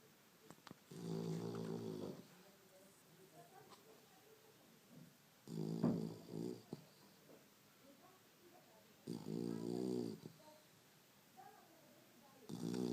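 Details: Young Chow Chow puppy snoring while asleep indoors: rough, buzzy snores about a second long, repeated roughly every four seconds, with quiet breathing between them in an otherwise still room.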